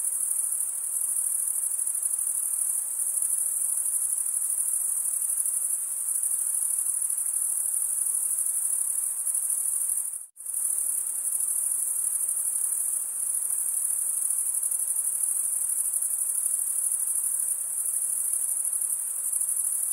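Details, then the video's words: High, unbroken cricket trilling from stridulating insects, steady in pitch, cut by a sudden brief silence midway before the same chirping resumes unchanged. "cricket sound"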